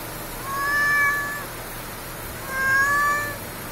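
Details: Stray cat in a convenience-store parking lot, crying as if pleading for something: two drawn-out, tonal meows with rich harmonics, each lasting about a second, separated by a short pause, over a faint steady background hum.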